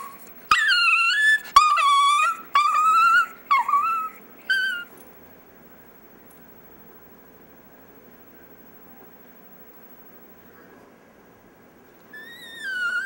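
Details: Pet chihuahua Dexter "singing" indoors: a run of five short tonal yowls over the first five seconds, each bending downward, then a long silence before one more rising-falling howl near the end.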